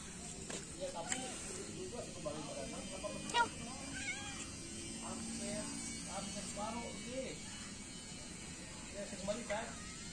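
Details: Feral cats, three adults and a kitten, being fed in the morning; several short wavering meows come and go through the clip over steady background hiss, with speech partly overlapping.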